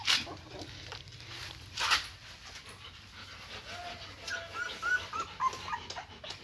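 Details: Young German Shepherd puppies, eyes still closed, beside their nursing mother: a string of short, squeaky whines in quick succession during the second half, preceded by rustling and handling noises.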